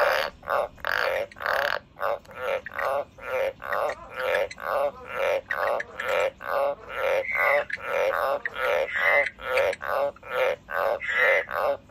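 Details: A pet frog giving a long, steady series of short, rasping pulsed croaks, roughly two per second, keeping a fairly even rhythm for the whole stretch indoors.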